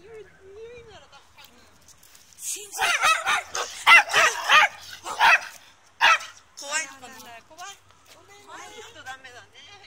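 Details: A Chihuahua lets out a rapid run of sharp, high yipping barks, roughly a dozen within about three seconds, then softer tonal whines, with people chatting in French before and after.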